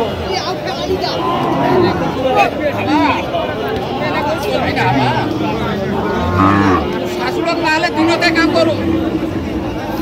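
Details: Lean dairy cows at the Aftabganj livestock market in Dinajpur, Bangladesh, on 30 August 2025. A low droning moo rises midway through, heard among dense crowd chatter and bargaining voices.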